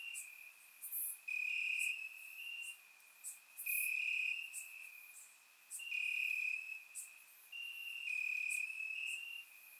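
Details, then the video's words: Several crickets trill in grass on a warm summer night in Bulgaria, recorded in surround sound. Shrill, even chirping swells in bursts lasting one to two seconds, with quieter gaps between them and a few sharp high ticks. "Cricket Sounds - Crickets Chirping at Night"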